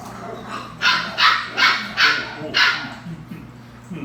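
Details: Belgian Malinois puppies at play: a run of five sharp, bright barks about every 0.4 seconds, followed by softer, fading yips, over a steady low electrical hum and faint human voices.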